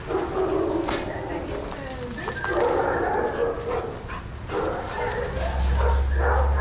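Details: Playing shelter dogs in a yard at Pima Animal Care Center, Arizona; a few abrupt barks break through at irregular intervals amid talking people and a low background rumble.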